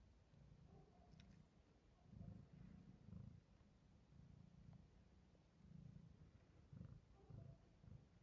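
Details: Pablo, a British Shorthair cat born in May 2023, purrs after waking up and eating: a low rumbling purr swelling in regular pulses about every second, with faint clicks and little else around it.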